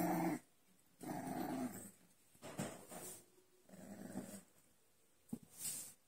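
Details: Low rumbling growls from American Bully puppies in Chandigarh: a brief burst at the start, then longer grumbling phrases near one and four seconds, with a sharp click and a short hissy noise near the end.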